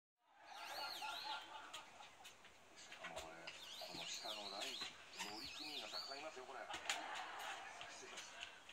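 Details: Rough Collie puppy Chiyo, 69 days old, plays indoors with her mother Pam while rain keeps them inside. She gives a continuous run of wavering, high-pitched whines and yelps with rough rasping growly bits.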